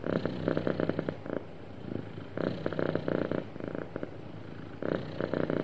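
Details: Sweet, happy cat producing a smooth purr: dense pulsed rumbling cycles of about two seconds each, loud phases alternating with softer low hum.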